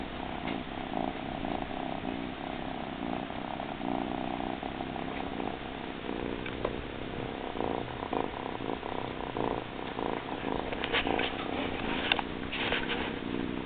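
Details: Blitz, a cat, purring happily over a frog pillow; a steady low rumbling purr runs throughout, with some brief higher rustling or clicking sounds near the end.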